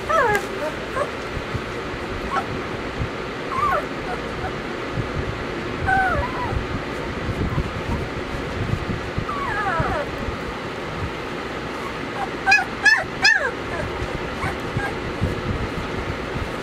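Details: Weimaraner puppies named Bailey, Hailey and Jenny, summer. Sparse drooping whines appear through the first ten seconds, then a short cluster of sharp, loud yelps breaks out, over continual background rumble and hiss.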